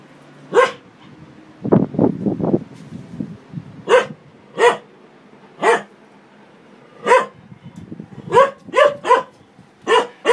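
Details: Dog barking at a washing machine: sharp single barks spaced about a second apart, with a burst of lower rumbling, machine-like noise early on and fainter mechanical sounds between barks.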